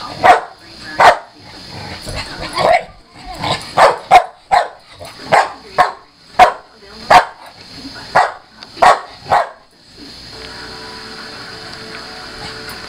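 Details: Pit bull named Chelsea in a rough play match with a Maine coon cat. Loud, clipped barks repeat roughly every half second to second for ten seconds, then stop, leaving a quiet background hum.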